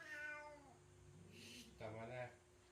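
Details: Orange father cat arguing with another cat indoors, no one hurt: a short harmonic meow, then a rough burst, another moaning meow, and a woman's voice telling them to stop.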